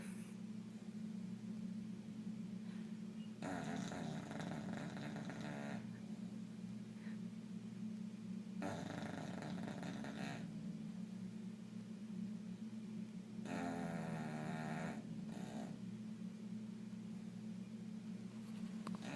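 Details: Bubbles, a bulldog, sleeping restlessly indoors, snoring in long rasping bursts lasting two to three seconds, separated by quieter breathing over a steady low hum.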